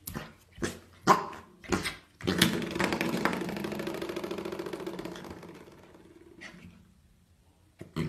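A corgi gives a few sharp barks, then a long, rumbling, drawn-out vocal grumble.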